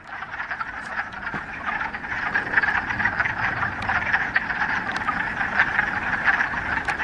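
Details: Many frogs calling together in a mountain pond in the Ramapo Mountains, mid-March, on the first warm day of spring after a week of rain: a dense, continuous trilling chorus of overlapping croaks, steady throughout with no other sounds standing out.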